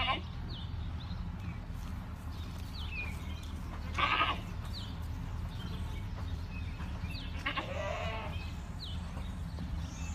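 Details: Boer goats kept as farm livestock: two bleats stand out, a short one near the four-second mark and a longer wavering one near the end, over a steady low hum with faint high chirps in the background.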